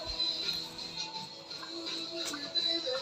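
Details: Music plays throughout with faint speech and no animal sound.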